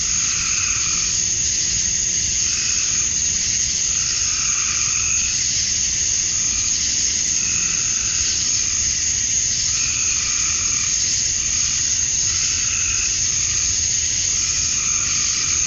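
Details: Male cicadas in Georgia, USA, chirping at dusk on a summer night to attract females; an intense, seamless high drone carries on, with mid-pitched buzzy swells repeating in slow waves beneath.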